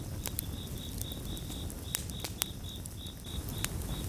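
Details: Gentle chorus of crickets with a campfire: evenly spaced bright chirps pulse in a fast, regular rhythm throughout, while occasional loud crackles from the fire and a soft low roar sit underneath.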